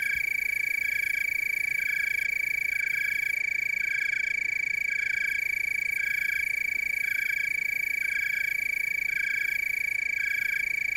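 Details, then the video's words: Steady high trilling chorus of tree crickets, Willamette Valley, Oregon, with rhythmic softer chirping pulses repeating about every second underneath. "Tree cricket chorus"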